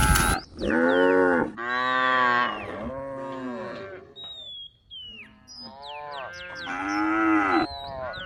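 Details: Cattle grazing in a rice field; loud, rich moos from more than one cow, some long and bending downward, others rising, with thin high bird whistles and chirps between the calls.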